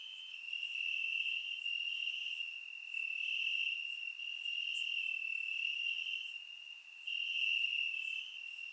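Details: Crickets chirping in grass on a warm summer night in Bulgaria, captured with a surround microphone; a steady, high, pulsing trill from many insects, with faint higher chirps scattered above and swells in loudness.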